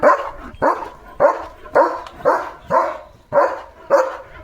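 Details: Leo, a German Shepherd, barks repeatedly in a backyard near a rosebush holding a sparrow nest with two eggs; about eight strong, evenly spaced barks come roughly every half second, with no other clear sounds.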